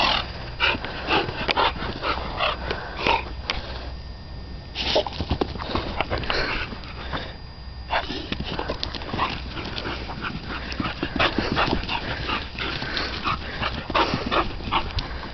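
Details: Dog known as West Wind's Whose Your Daddy, aka Titan, playing in the dog yard; dense, irregular bursts of sharp yips and barks run through most of the stretch, with a brief quieter lull midway.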